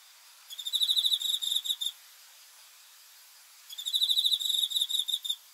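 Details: Cricket chirping at night: two bursts of rapid, high pulsed trills about 1.5 seconds long, separated by nearly two seconds of quiet, against a faint hiss.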